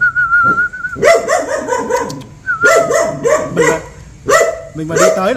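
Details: ["Dog reacting to a stranger with bursts of loud, ringing barks in clusters of three or four. A person's steady whistle opens the stretch and returns briefly between bark runs."]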